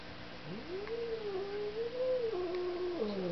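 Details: Domestic cat attacking a vacuum cleaner indoors, giving one long drawn-out caterwaul that rises, holds steady with slight wavering, then drops lower near the end, over a steady mechanical hum.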